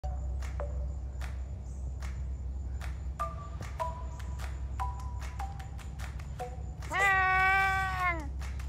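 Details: Beacher, a male first-generation Savannah cat (half domestic cat, half African serval) at a big cat sanctuary in Tampa, Florida, gives short chirping calls, then one long rising and falling meow, while playing with his tail.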